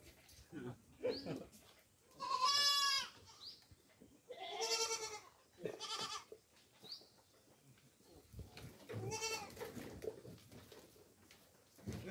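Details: Domestic goats being fed coconut pulp on a farm: loud, quavering, harmonic-rich bleats come in three main bursts, each about a second long, with quieter bleats and faint voices between them.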